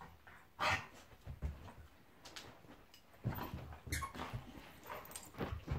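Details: Pet Golden Retriever Monty play fighting with a Labrador named Eric, giving sharp bark-like yelps and growly bursts separated by quieter breathing and scuffling.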